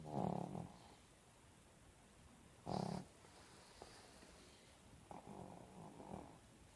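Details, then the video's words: Pekingese asleep under covers, two short, low snorting snores about two and a half seconds apart, then faint breathing and a soft rustle. "Snoring Pekingese"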